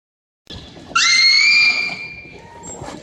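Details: Captive beluga whales in the Wild Arctic exhibit at SeaWorld Orlando, Florida, kept largely indoors: a loud, high, whistled cry with layered overtones, held steady for about a second then fading, followed later by a brief thin higher tone over faint room noise.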